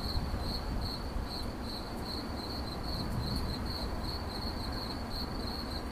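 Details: Cricket giving rapid, regular high chirps, roughly three each second, in an unbroken rhythm above a broad low-pitched rushing noise, presented in 8D audio.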